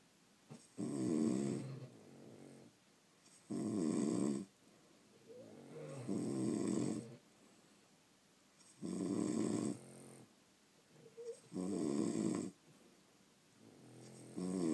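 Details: Indoor recording of sleeping French Bulldogs: five rasping, buzzy snores, each about a second long, return at fairly even intervals of roughly two to three seconds, separated by soft, breathy pauses.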